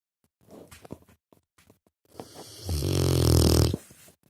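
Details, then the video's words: Sleeping Rottweiler puppy snoring: faint scattered breathing sounds, then one long, low, rasping snore lasting about a second, rich in deep rumbling tones. "Храпуша ротвейлеренок!"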